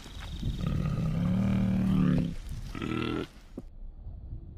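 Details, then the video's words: Bear producing a deep, rumbling growl-moan sustained for about two seconds, followed by a shorter rough grunt, then fading into low background noise. "សំលេងសត្វខ្លាឃ្មុំ/Bear sounds"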